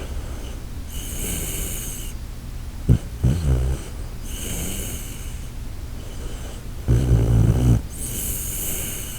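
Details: Koharu, a sleeping Shiba Inu, snores in two low, rumbling bursts near the third and seventh seconds, each with a brief snort-like onset, against a steady high-pitched background hum indoors.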